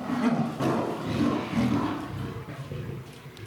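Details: Lioness threatening a male lion in a zoo enclosure at Tobe Zoo, Japan, January 2023. Continuous harsh, raspy low growling with pulsing rough bursts throughout, slowly fading toward the end.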